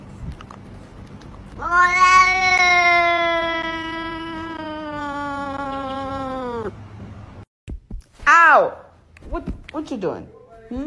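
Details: Domestic cat, from a compilation of cats behaving badly, gives a long drawn-out yowl of about five seconds, steady in pitch and then sagging slightly at the end, followed by brief sharp cries and background voices.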